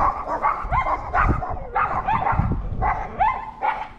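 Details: Dogs bark at a disliked neighbour's dog that had eaten their food in their yard, recorded August 17, 2022; rapid, high yapping barks with rising tones, about two per second, over a rough low background.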